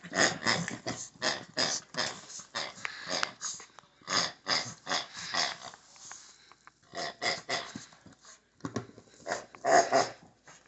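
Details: A Shih Tzu playing with a pig lets out quick bursts of rough, snorting growls, one after another, with brief pauses.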